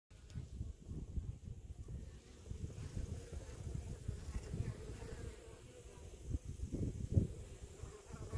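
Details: Honey bees at a hive just after smoking, taking up honey from the cells: a dense, low, steady hum of many bees, with faint rustling and handling noises.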